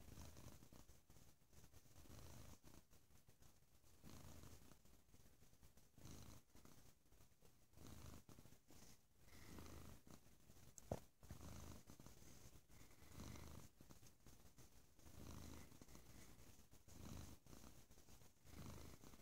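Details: A domestic cat purring loudly, a low, rumbling, pulsing purr with steady in-and-out cycles roughly every two seconds, close to the microphone.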